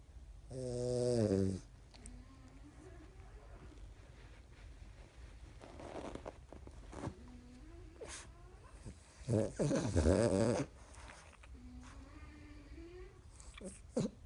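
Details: French Bulldog Conny asleep indoors with eyes rolled back, snoring, with a second French Bulldog, Qoo, snoring now and then: a loud buzzy harmonic snort early on, quieter raspy breaths between, and another strong rattling snore burst near ten seconds.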